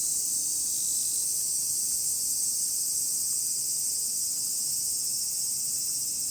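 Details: Many cicadas singing during a walk with a Miniature Pinscher: a dense, continuous high-pitched buzzing drone that stays steady throughout, with no other clear sounds.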